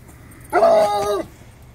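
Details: A Bluetick Coonhound that has just been sprayed by a skunk gives a single short, tonal bay, a rich, ringing bark-howl at the skunk.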